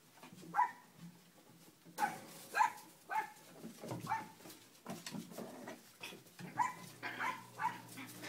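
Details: High, short puppy barks from Cleo's litter at play on the kennel deck, coming in uneven bursts, some close together, others after short pauses, over light shuffling and background rustle.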